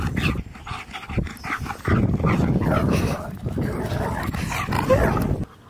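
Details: Siberian Husky Key, on his seventh birthday on April 2nd, reunited as a surprise with his best friend Sherpa after three months apart; rough, noisy excited dog vocalizing and huffing in bursts, with people talking in the background.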